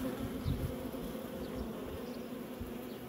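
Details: Swarm of honey bees at work making honey, a dense continuous low buzzing hum with a few louder passing wingbeats.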